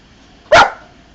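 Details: Bonny, a female Old English Sheepdog doing tricks in a garden, gives one loud, clipped bark with a short fading tail.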